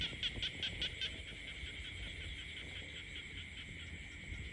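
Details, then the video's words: Frogs croaking in the peaceful countryside: a dense, steady high-pitched chorus, with a short run of quick rapid pulses in the first second before the calling settles into an even, continuous trill. "the peaceful countryside becomes alive with the sound of frogs croaking."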